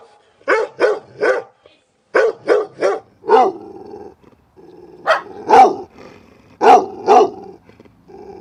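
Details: Domestic dog barking in its own environment, quick triplets of sharp barks followed by deeper, rougher barks, with a low steady hum and a steady background tone between the bursts.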